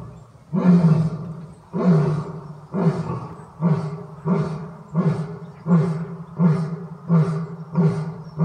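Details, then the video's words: Lion behind toughened safety glass and an electric fence gives a series of deep, booming roaring grunts, about eight heavy pulses spaced roughly a second apart, each low and throaty. "Lions Roar!"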